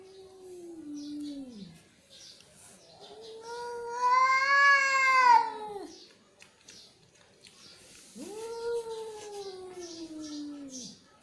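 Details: Angry cat's growling moans: a falling wail, then a loud, strained yowl swelling and fading over three seconds, then another drawn-out descending wail indoors.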